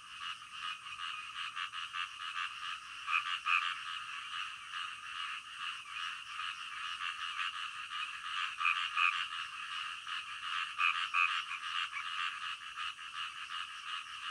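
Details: Frogs calling in the middle of the night form a dense chorus of rapid rasping croaks pulsing steadily in the middle range.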